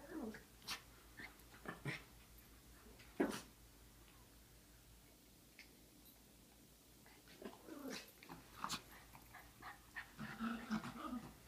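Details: Three Chihuahua mix dogs make scattered short yaps and low growling bursts, louder near the start and again toward the end, with quieter stretches between.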